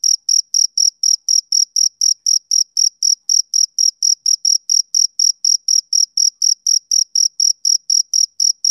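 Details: Male cricket on a summer evening, chirping in a high, bright pulse about four times per second, each chirp short and evenly spaced, with a steady rhythm and a faint higher overtone; no other sounds.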